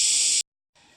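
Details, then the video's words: Cicadas, called gangis, singing along an ancient-tree forest trail on the Babag to RCPI trek in Cebu, Philippines; a loud, steady, high hissing drone that cuts off abruptly, then quieter background. "You hear that, guys? Gangis or cicadas, right?"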